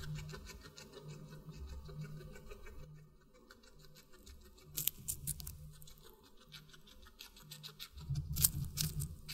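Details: A guinea pig chewing watermelon, quiet nibbling that pauses midway, then bursts of crisp crunching clicks around the fifth and eighth seconds over a low background hum.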